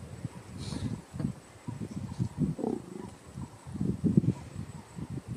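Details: Wild adult male lion with a big black mane giving angry warnings to his cub, who keeps pulling his mane, at Karongwe Game Reserve; deep rumbling growls in repeated low bursts over steady outdoor background noise.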